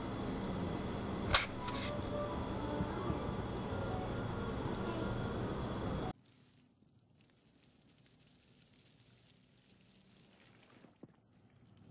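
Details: Loud, dense music fills the first half with one sharp click, then cuts abruptly to faint, hissing room noise with a single later tap; no animal voice is heard.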